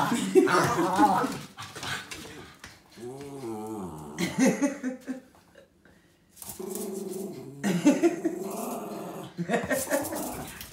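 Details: Female Cairn Terrier unable to contain her excitement over a walk, producing repeated wavering, yodel-like whines and grumbles, while a person talks and music plays.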